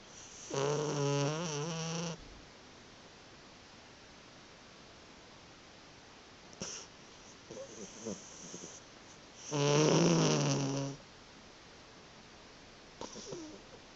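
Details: Pet cat snoring while asleep indoors, recorded on a phone: two long, buzzy, rasping snores about eight seconds apart, with faint shorter breaths in between.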